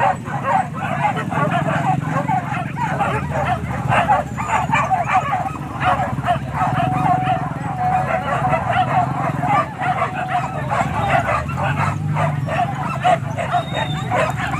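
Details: Several dogs on a wild boar hunt in Kayu Ampek, Tanah Datar, Indonesia, bark and yelp in a rapid, overlapping pack chorus that keeps going without a break, over a low engine-like hum.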